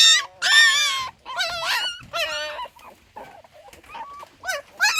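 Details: Newborn puppy, one of six born, giving high wavering whimpers and yelps, a loud burst then softer, broken whines and short squeaks, with quiet pauses between cries.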